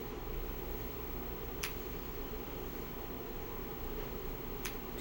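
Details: Indoors, a quiet steady hum of a small room fills the recording, broken by two brief sharp clicks and no animal voice.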